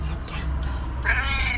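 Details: A female tailless tuxedo cat talks to its owner indoors, giving a drawn-out, harmonic meow in the second half that holds steady, then eases downward. A low steady hum sits underneath, and brief faint voice sounds come earlier.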